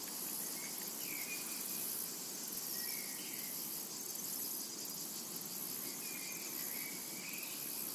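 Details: Cicadas singing in a summer meadow: a high, sizzling, evenly pulsed drone that never stops, with scattered quiet bird chirps rising and falling beneath it.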